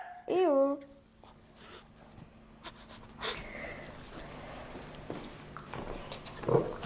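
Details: Shih Tzu named Zara indoors with her new pink octopus toy, giving a short rising-then-falling whine near the start, followed by quiet snorts and panting while a woman speaks French.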